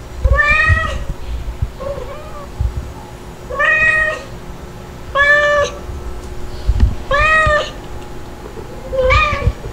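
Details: Kitten meows from white spotted Stuart and black Lunar, filmed 3 to 8 July 2022: five clear, rising-falling mews repeat about every two seconds, with fainter short squeaks between them and light bumping noises.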